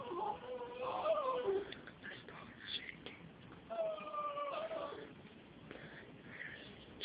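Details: A female Jack Russell Terrier, apparently reacting to a cat, gives high, drawn-out whining yowls that waver in pitch, in two bouts; unusual sounds, as if she is about to vomit.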